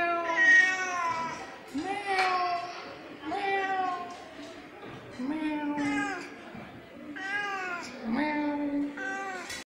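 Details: A female pet cat talking to her owner meows repeatedly, about seven drawn-out, wavering meows with rich harmonics, each rising then falling, spaced roughly every second or so, with a quiet room background.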